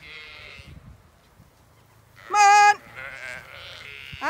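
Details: Zwartbles ewes on a regenerative farm in County Kilkenny, Ireland, being called in from under a lime tree: a soft distant bleat, then a loud, clear, wavering bleat, followed by overlapping fainter bleats from the flock.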